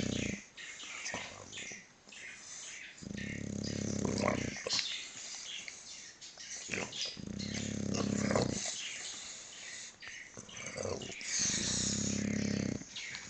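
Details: English Bulldog napping, with rhythmic low, rumbling snore-like bursts lasting about one and a half seconds each and returning roughly every four seconds, over steady broadband hiss and faint higher sounds.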